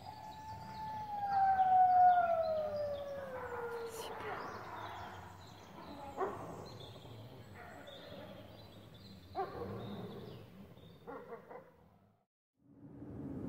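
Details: Trio of captive grey wolves at Parc Animalier de Sainte-Croix, July 2016: one long, loud, pure-toned howl sliding slowly downward over about four seconds with clear overtones, then fading; murmuring visitors' voices and a few sharp knocks follow.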